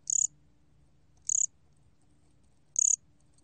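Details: Gomgwitturami cricket from a 2020 Korean recording: three brief, sharp, high-pitched chirps spaced roughly 1.3 to 1.5 seconds apart, each made of several fast clicking pulses, with a soft low hum underneath.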